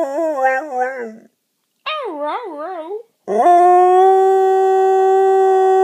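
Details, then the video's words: A male English Springer Spaniel "speaks" in conversation with his owner, giving wavering, yodel-like howls that end in one long steady note. "Conversation with English Springer Spaniel"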